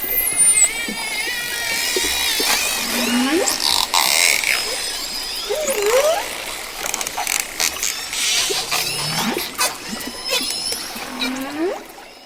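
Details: Dolphin sounds: high gliding whistles at the start, then several lower upward-swooping squeals, with sharp clicks and pops throughout over a constant background hiss.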